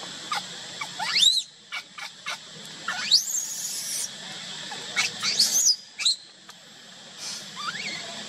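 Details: Baby monkey left crying alone by its mother, giving repeated piercing squeals that sweep steeply upward and break off, roughly one every second or two, with brief quieter chirps between them.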